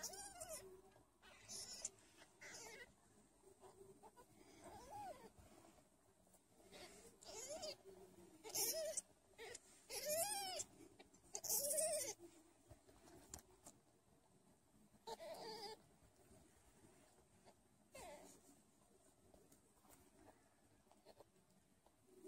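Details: A Sphynx kitten, one of a litter of five being bottle-fed because the mother lacks milk, gives thin, rising-and-falling mews among soft sucking and handling noises while feeding from a bottle.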